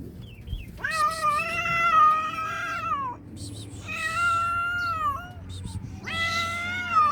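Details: Hungry domestic cat described as sad, giving long drawn-out harmonic meows, three calls of about two seconds each, steady in pitch then falling at the end, over a low background hum.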